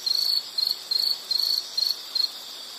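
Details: High, thin insect chirps: six buzzy bursts in under three seconds. Some are longer and some clipped short, separated by brief quiet gaps.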